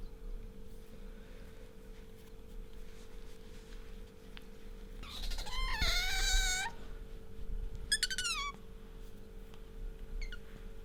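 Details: Bingo, a pet otter, nuzzling its owner and squeaking: a loud, dense burst of high wavering squeals in the middle, then a few quick downward-sliding chirps, against a low steady room hum.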